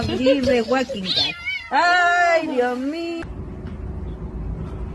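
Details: Pet cat voicing a wavering, warbling cry that gives way to a long, drawn-out, steady meow lasting over a second, followed by abrupt quiet with low background hum.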